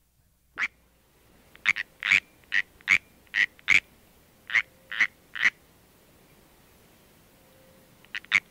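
A California treefrog gives short, sharp warning chirps in an irregular series.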